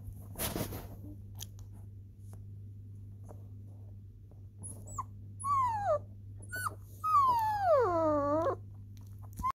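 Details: German Shepherd puppy giving two high whines that slide steeply downward, the second longer and wavering, after several seconds of quiet rustling and clicks over a steady low electrical hum.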